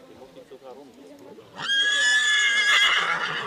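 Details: Colt foal at a 2013 foal branding event, sired by Cormint out of a Quintero–Lovari–Concerto II mare, prize-winning; a German announcer speaks, then a loud, harmonic whinny rises and holds for about two seconds.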